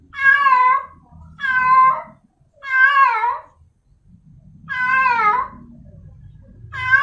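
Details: Calling for a male, a female cat in heat gives five loud, wavering, harmonic yowls, roughly one every second, with brief gaps and low rumbling noise underneath.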